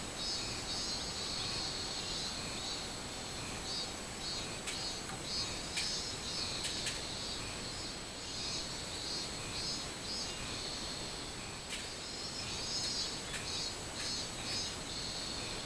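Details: Robust cicada (minmin-zemi) recorded on 24 July 2016: rhythmic, pulsing high buzz with repeated bursts roughly three per second, set against steady broadband hiss and occasional sharp clicks.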